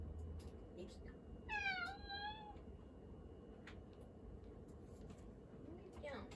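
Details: Domestic cat seeking attention in a kitchen, giving one clear meow that falls then levels off over about a second, with strong overtones; a woman speaks softly about food nearby, and low household hum runs underneath.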